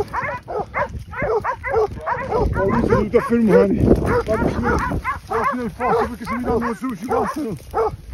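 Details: Several hunting dogs hold wild boar at bay during a drive hunt at Pratomagno, Arezzo, Italy; continuous chorus of sharp, high yelps and barks, overlapping and rapid, with men shouting over them.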